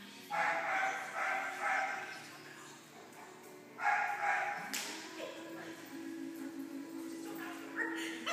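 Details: Greater Swiss Mountain Dog during directed jumping training, giving a run of four barks near the start and a few more later, over a noisy indoor background with a steady hum and some clattering.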